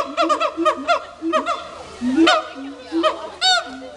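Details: Two captive siamangs at Dubbo zoo showing off: rapid runs of short harmonic barking notes, some rising in pitch, broken by sharper arching yelps, with a low steady droning tone and some human voices beneath.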